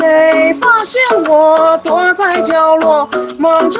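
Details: A high, childlike sung melody with instrumental backing fills the recording, and no animal voice is heard.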